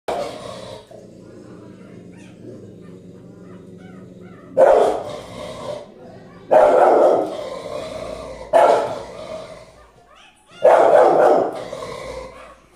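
A Rottweiler gives deep, loud barks, single or doubled, every couple of seconds.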